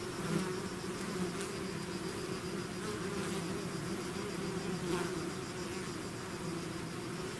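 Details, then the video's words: Swarm of bees pouring out of its hive, a dense continuous hum with steady bands around the low and low-mid range, brief louder passes of individual bees near the microphone at about 0.4, 1.4 and 5 seconds. "bees therapy swarm natural buzzing sound"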